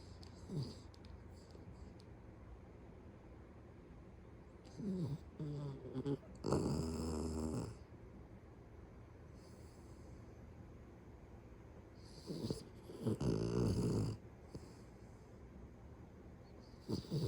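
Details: Pet Beagle asleep indoors, snoring heavily: loud, rough, rattling snores come in irregular bursts, some lasting over a second, separated by quiet breathing and a faint low background hum.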